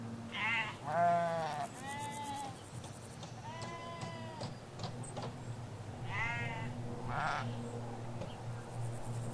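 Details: Sheep field in rural Hampshire with ewes and their lambs: a string of quavering, tremulous bleats, several overlapping early then spaced out, with faint clicks and a constant low hum of road noise beneath.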